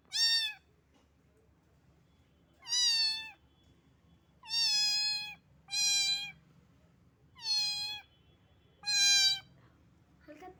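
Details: Repeated loud meows from a small rain-soaked cat that was shivering from the cold. Six rich, slightly falling cries come about every one to two seconds, with quiet pauses between them.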